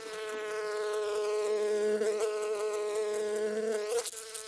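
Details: Honey bees collecting honey: a steady, droning wing buzz with many overtones. A lower hum joins from about 1.5 to 3.8 seconds, and the sound wavers and dips briefly near the end.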